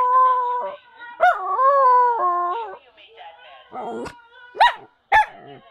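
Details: Siberian husky howling in a sad-sounding way: a long wavering tonal howl that sags and rises, then breaks into shorter yelping, whimpering notes with sharp upward inflections toward the end.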